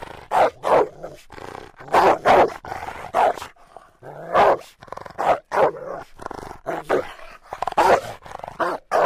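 A Rottweiler gives a run of deep, gruff barks, many coming in quick doubles. The barks are loud and punchy, with short pauses between them.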